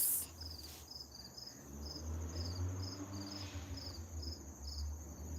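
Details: Crickets chirping outdoors in cool weather: short, high, thin pulses repeated in small bursts through the clip over a steady low rumble.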